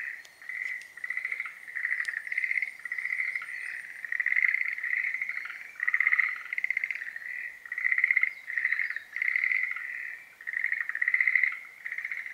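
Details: Schlegel's green tree frogs in the breeding season give clear trains of rapid pulses, each burst roughly half a second to a second long. The bursts repeat regularly with short gaps, and a second frog sometimes overlaps.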